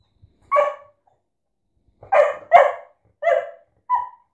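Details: Domestic dog barking: one short bark, a pause of over a second, then a quick run of four sharp, mid-pitched barks, the last one shorter and thinner, in an otherwise quiet setting.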